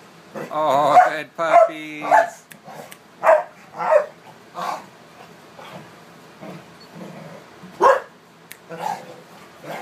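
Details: American Staffordshire terriers and pit bull type dogs playing together: a quick run of whining yelps, then irregular short barks about every half second to second.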